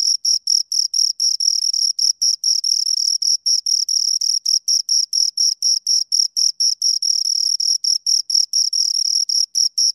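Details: Two crickets chirping in a long, steady stream of short, high, shrill pulses, about four to five per second, each with a bright ringing tone and a fainter higher overtone, with no other sounds.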